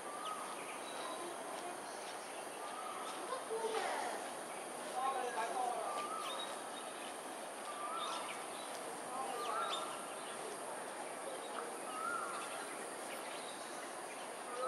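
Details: A roaming wild group of smooth-coated otters in south west Singapore, 5.38pm on 1 February 2023: repeated short whistles with bending pitch, some sharp upward chirps, scattered through the recording over steady background noise.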